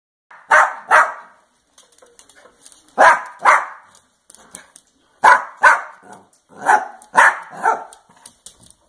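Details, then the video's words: Hungry pet Dachshund, female, begging for pizza: sharp barks in pairs and short runs of two or three, spaced by brief quiet gaps, with faint soft whines and small yips between them; no other clear sounds. "Give me Pizza"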